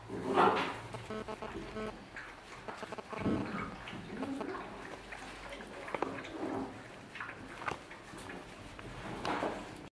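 A Jack Russell Terrier gives sharp, scattered barks with a muddled background.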